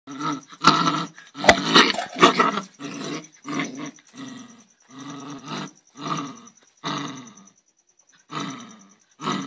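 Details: Angry dog giving harsh, roaring growls and snarls in uneven bursts of about a second, some rising into rough barks, with short silent gaps and a faint steady high whine behind.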